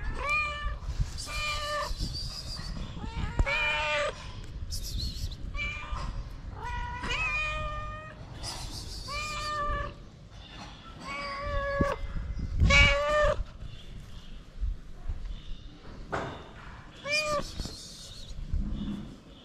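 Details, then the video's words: Three hungry feral street cats begging for food in the cold, giving a rapid series of loud harmonic meows, many overlapping, some rising and falling, with low rumbling background noise throughout. "The Three Cats Who Came To Me Want Food, Not Love."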